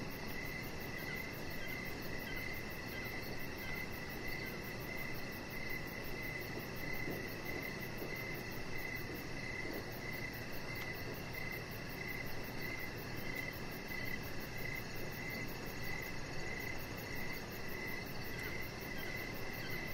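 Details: Evening cricket ambience from a deck: persistent high chirps repeating in a regular, unbroken rhythm, a fine very high pulsing sound overhead, and steady low rumbling noise throughout.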